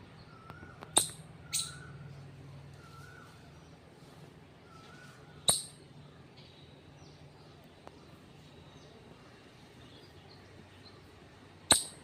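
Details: Four crisp, percussive squirrel chirps, two close together early and the others spread widely apart, each a bright snap that fades quickly; faint thin whistles and low rumble fill the gaps.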